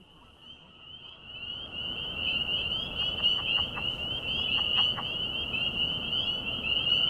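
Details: At night in calm conditions near Greenville, South Carolina, during a frog-monitoring listening session, a dense frog chorus of high, piping calls, possibly spring peepers, blends into a steady shrill ring.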